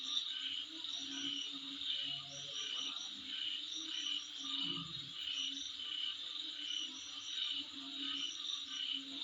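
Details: Insects heard in front of a residence, dense ringing high-pitched trilling with pulsed bursts repeating steadily, plus a few brief low thuds and soft background noise.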